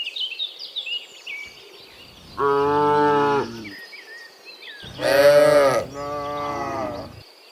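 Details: Afternoon return of dozens of cows from the fields to their pen; a steady lowing moo followed by a louder, brassier moo that trails off, birds twittering early on.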